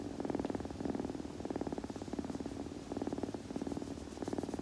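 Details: A kitten purrs while grooming, the low vibrating rumble breaking into short breath-paced bursts about every second, with soft handling noise.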